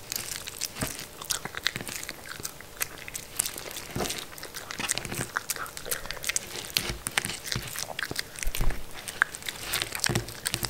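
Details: Mindy, a pet Shetland Sheepdog (Sheltie), eating food indoors in a small room: dense crunching and chewing, sharp broadband clicks and crackles coming in quick irregular bursts, with no voice.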